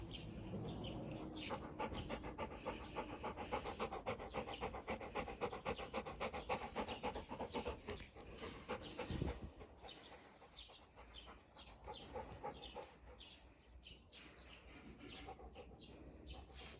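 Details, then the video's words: A Labrador Retriever at ease pants in fast, even breaths, nearly four per second, for about nine seconds. The panting then softens into quieter, slower breathing with a soft thump midway. "5 хвилин чистого релаксу – лабрадор насолоджується життям (АСМР)"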